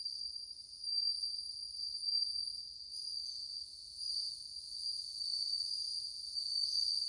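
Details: Numerous bell crickets singing cool-sounding tones, August 2020; continuous high-pitched ringing trill layered with overtones, gently pulsing in loudness throughout, with faint low rumble beneath.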